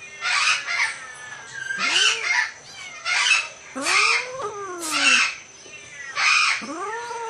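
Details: An Asian leopard cat mating with a Bengal cat: rising, harmonic yowls that arc upward and bend down, alternating with harsh, hissing bursts, several calls spread over a few seconds.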